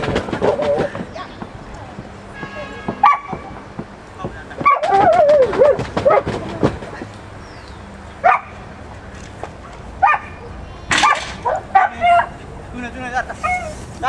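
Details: Scottish Terrier named Dartagnan at an agility championship, giving sharp, irregular barks in quick bursts, with a drawn-out whining yelp that rises and falls midway; human voices murmur in the background.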